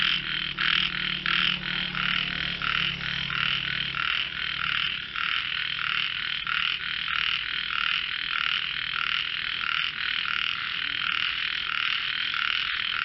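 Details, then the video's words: Many frogs in a melodious voice competition, their pulsed rattling croaks forming an unbroken bright chorus; a faint low hum underlies the first four seconds before the calling continues alone. "frogs sing"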